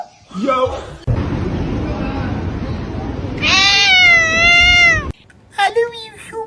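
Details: Kitten crying, heard as one long, loud, wavering meow with rich overtones lasting over a second, then a shorter meow after a pause. A broad hissing noise comes before it.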